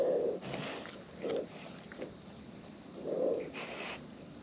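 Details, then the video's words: Wild raccoons eating close to the microphone: a few thick, muffled crunching bites spaced one to two seconds apart, with softer rustling chews between them. "Wild Raccoons & ASMR Chewing Sounds"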